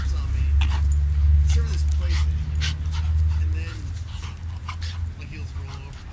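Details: A 4-month-old Shiba Inu puppy wrestling with another dog gives a deep, continuous growl that rumbles for several seconds, with human voices and sharp scuffling clicks; recorded in Seattle, WA on March 11, 2008.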